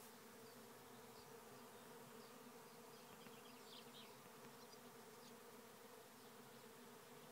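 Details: Bee swarm of thousands being caught in a trap hive near Rathcabbin, County Tipperary, Ireland: an unbroken, even droning hum filling the air, with faint distant birdsong chirping over it.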